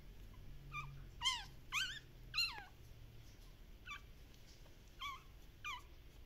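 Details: Active Shiba Inu puppies at a breeder in the Netherlands whimpering: a quick run of three loud, high, descending yelping whines, then several softer, similar whines spaced about a second apart over quiet background hiss.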